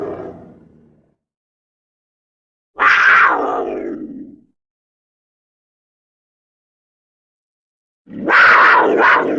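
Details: Black panther, a leopard with black colouring: three separate harsh, breathy snarls, each about one to two seconds long, with silent gaps between them; the last one comes in two quick pulses.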